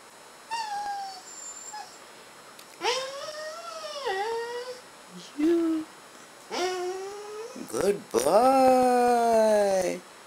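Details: Goldy, a pet dog prompted indoors to say "I love you", answers with several drawn-out, whiny howl-like phrases that rise and bend down, separated by short pauses. A final, louder wavering phrase ends the sequence, and a person's voice urges between.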